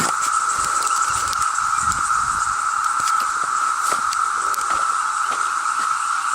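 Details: A dense chorus of thousands of cicadas seeking mates in Cumberland State Forest, Virginia, during cicada season, makes a steady, unbroken droning whine with a fainter high hiss above it.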